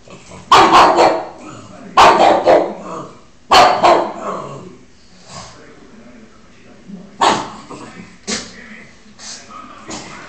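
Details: Pug barking at Spiderman, whom it treats as an enemy; loud, harsh, broadband barks in short bursts, three close together early, then a pause and two more, with quieter yips and noises between.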